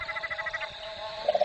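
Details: Several cane toads (Rhinella marina), described as a mob, call together at Fog Dam near Darwin, where invading toads are overrunning the area, in low, pulsing trills that overlap into a steady chorus.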